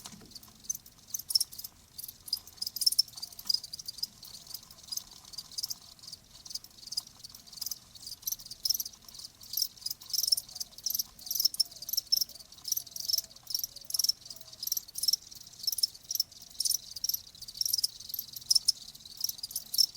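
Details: Crickets chirping in a steady stream of short, high, rapid pulses, many callers overlapping in quick bursts, with no other clear sounds.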